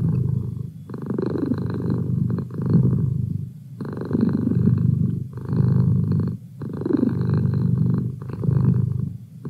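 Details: Purring domestic cat, a rich low rumble in long rhythmic swells about three seconds apart, broken by short near-silent pauses between breaths.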